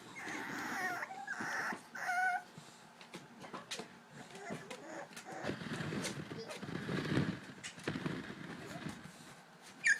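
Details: Young English Bulldog puppies at the edge of their pool give high, nasal whines, trying to escape and wanting to come out to play.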